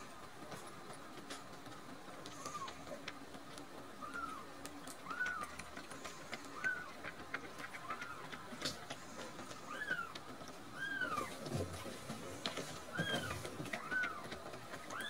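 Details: Two rescued baby kittens, Nan-chan and Cookie-chan, full after drinking milk and growing drowsy; short arched mews repeat roughly every second, some overlapping, over a steady low indoor hum.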